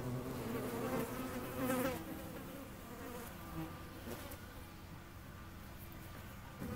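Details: Flying hornet gives a humming buzz that is loudest early on, briefly rising in pitch, then fading to a quieter steady drone.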